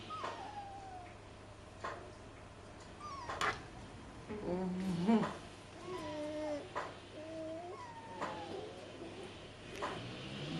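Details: Rhodesian Ridgeback puppies, three weeks old, whimpering in short high whines that slide downward, spaced a second or two apart, mixed with faint yelps and a constant low hum.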